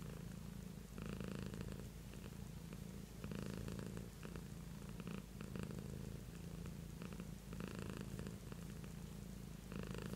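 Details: Beatrice, a pet cat, purrs continuously in a small room, the low rhythmic rumble rising and falling in regular louder surges about every two seconds over ten seconds.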